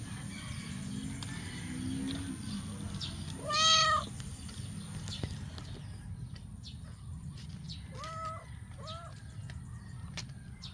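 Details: Adopted stray kittens, eight weeks old, playing in a backyard. One loud, drawn-out meow comes near the fourth second, then two shorter, softer meows follow about four seconds later. A steady low outdoor rumble and scattered clicks run underneath.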